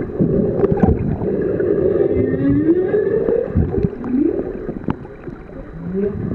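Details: Underwater humpback whale song at Ningaloo Reef, captured while swimming with the whales: long sliding moans sweeping upward, a short rising whoop near the end, over bubbly water noise.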